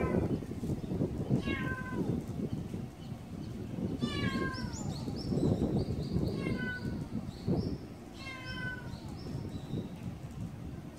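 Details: Kkamangi, a black stray cat in good health during hot summer weather, meows repeatedly in descending, drawn-out cries about every two to three seconds over steady low rumbling background noise.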